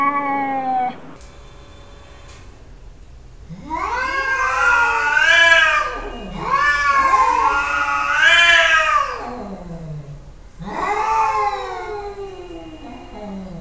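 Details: Pet cats presented as talking to each other: overlapping, wavering meows and yowls that swell and fall in long arches, with two voices seeming to cross, plus faint low background hum.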